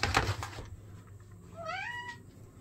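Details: Domestic cat, a tabby or tuxedo, indoors during a play break with treats, giving one short rising chirp-like meow after opening rustling and knocking sounds.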